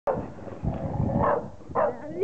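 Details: Female Chow Chow, 13 November 2009, barking at her own reflection in a mirror as if another dog had entered the garden; a few short gruff barks mixed with a person's voice.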